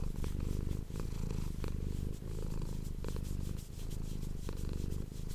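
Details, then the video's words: Domestic cat purring very close to an ASMR microphone indoors: a deep, steady, throbbing purr that rises and falls with each breath, with only short breaks between cycles. "ASMR cat purring ❤ Manis die aan het spinnen is"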